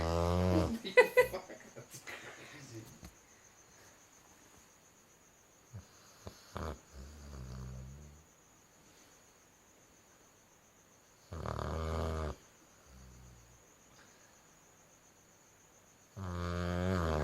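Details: Cherry, a Dalmatian puppy, snores in her sleep: rough, buzzy, harmonic-rich snores about a second long arrive several seconds apart, with softer breathy rumbles between, over a faint steady high-pitched electrical whine.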